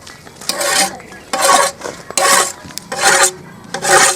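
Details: Loud rasping, rubbing strokes repeat roughly every three quarters of a second, with faint speech and no animal voice.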